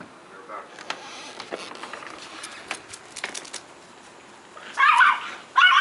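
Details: Female Pomeranian chasing a squirrel, filmed 10/2/2016 at 1:26 PM; after soft rustling and clicks, two sharp high yappy barks burst out near the end, loud against quiet background.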